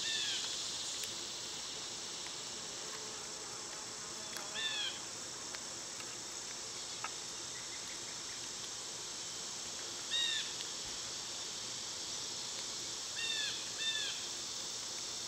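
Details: Summer cicada chorus, a continuous shrill hiss running under several brief bursts of quick chirping bird notes that come and go.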